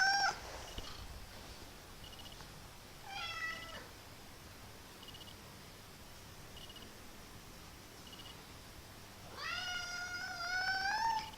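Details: Male pet kitten indoors making weird funny noises: a brief cry at the start, a short falling meow near the middle, then a long, wavering, rising meow at the end over a quiet background.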